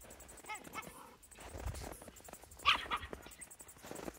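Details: A Miniature Schnauzer reacting to a mouse gives a few brief, high-pitched whines, then a sharper bark burst, with scuffling and rustling throughout.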